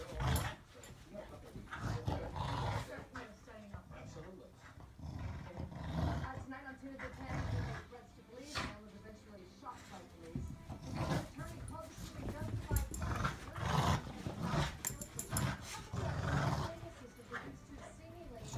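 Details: Two dogs, a bulldog and a German shorthaired pointer, playing tug of war; dense low rumbling growls swell and fade throughout, with a human voice talking over the play.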